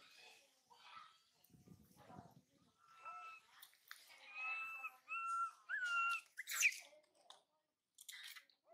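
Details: Little monkey Mila, spoiled and left behind while mother Malika forages, cries toward her brother Marto, who turns her away. Drawn-out, wavering whine-like tones repeat in sequence, ending in a sharp squeak, with soft rustling earlier.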